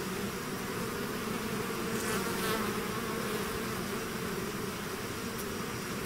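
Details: Bees swarming from their hive, a loud, full buzzing drone with steady humming tones and a couple of brief brighter passes from bees flying close.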